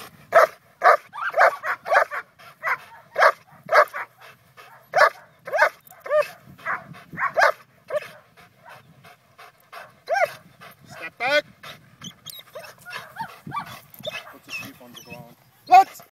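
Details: Vincenzo vom Wustenberger-Land, a top-placing Schutzhund 3 German Shepherd trained for personal protection, at protection work: a fast, steady volley of forceful barks for about eight seconds, then looser barks mixed with higher whining yelps.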